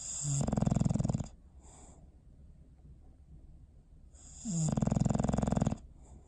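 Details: Bowser, a pet dog, sleeping on December 21, 2019: two rasping, buzzy snores about four seconds apart, each roughly a second long with a rapid vibrating flutter, quiet breathing between them.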